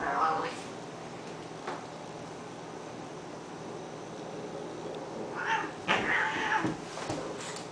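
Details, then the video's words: During a routine daily scrap between cats Honey and Lowell, a brief yowl opens, followed by a lull with a faint click, then a short cluster of harsh, broken cries. "cat fight"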